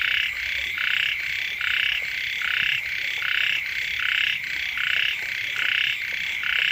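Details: Frogs of more than one kind calling beside a house as the rains first arrive; a dense chorus of buzzy pulsed croaks in two alternating pitches, bursts repeating roughly every 0.8 seconds without pause, over a steady high hiss.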